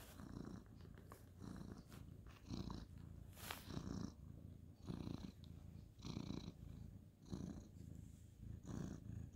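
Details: Ginger tabby male cat purring while being petted at bedtime on a bed; low rumbling purr in steady pulses roughly every second, each breath cycle swelling and fading, with faint higher rustling of petting.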